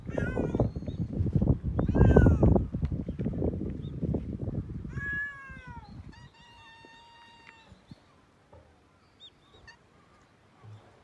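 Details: Domestic cat being petted: loud rubbing and rustling fill the first half, then two clear meows, the first falling, the second long and level, before a few faint short mews in near quiet.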